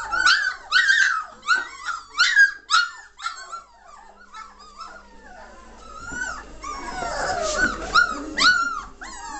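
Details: Three-week-old German Shorthaired Pointer puppies of the 2014 Katelands litter, lively and noisy, recorded 22 May 2014: a rapid run of high squealing yelps about twice a second, then overlapping whines and whimpers from several pups.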